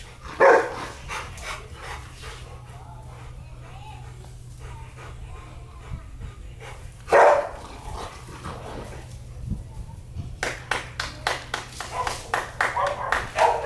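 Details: Barking from a Rottweiler of a breeding pair: a single loud bark early, another about seven seconds later, then a run of quicker, softer repeated sounds, with human voices and household noise underneath.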